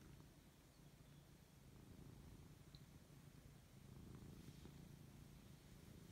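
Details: Low, even purring from a Siberian cat enjoying fuss as he wakes up, the rumble swelling slightly louder toward the end with a couple of faint tiny clicks.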